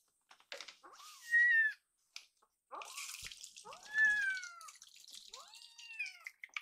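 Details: Rescued foster kittens, two of them, demanding more milk after their meal: loud, drawn-out, plaintive meows that rise then slide down, about four calls in quick succession, with rustling and brief noise bursts between.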